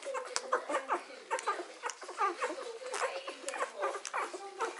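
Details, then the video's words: Newborn Hovawart pups, three days old, squeak and whimper while suckling: short, thin, bending cries in rapid succession, mixed with soft snuffling and a faint human giggle. "Hovawart puppies (3 days old) suckling"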